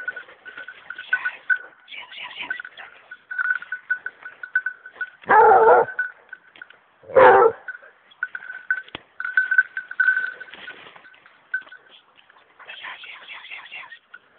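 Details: Young female hunting dog working on wild boar gives two loud, harsh barks a couple of seconds apart, set against a steady high whine and scattered rustling and clatter.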